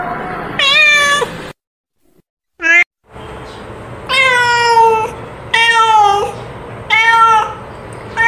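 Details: Female cat calling for a companion and to mate, with a series of drawn-out, richly harmonic meows separated by short gaps, one brief chirp-like call and a silent pause near the start.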